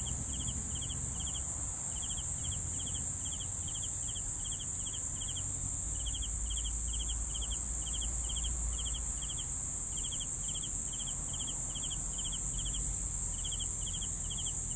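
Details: Cricket chirping in rhythmic pulsed bursts roughly twice a second, with brief pauses between runs, over a persistent high insect drone and low background rumble.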